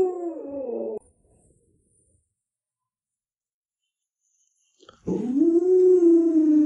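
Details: Alaskan Malamute kept as a pet, giving a drawn-out wavering howl with strong harmonics, a second-long call at the start, then silence, then a louder sustained rising-and-levelling howl lasting nearly two seconds.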